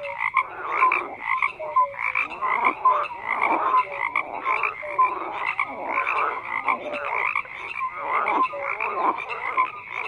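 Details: Many frogs call together in a continuous croaking chorus: pulsed raspy croaks roughly every second, interleaved with short whistled tones, forming a thick unbroken wall of amphibian voices.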